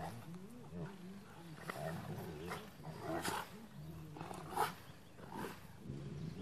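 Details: Two Rottweilers play fighting, an older one in a truck joined by a younger one, growl in low, rumbling bursts.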